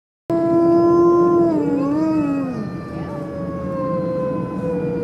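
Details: Wolves howl in the afternoon at the Como Park Zoo in Saint Paul, Minnesota. One long, steady, mournful howl bends downward, and a second voice joins it, wavering and sliding lower.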